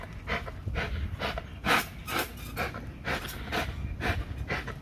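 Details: An XL American Bully pitbull working a spring pole for muscle and drive, giving heavy, rasping pants in quick succession, some louder and harsher, above a low background hum.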